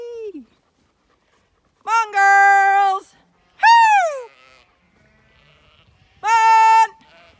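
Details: Zwartbles ewes on a regenerative farm in County Kilkenny, Ireland, bleat while being called in from the field before shearing day; four loud, steady harmonic bleats, some level and some falling, separated by short silences.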